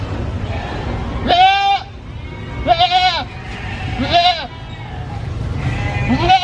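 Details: A three-legged baby goat, missing one leg, gives loud, quavering bleats, each about half a second long and repeated every second or so.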